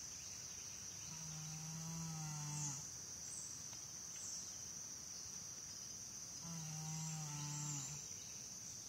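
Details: Sleeping American Saddlebred mare Janie snores. Two drawn-out, humming, slightly falling snores come about five seconds apart over a constant shrill buzzing background.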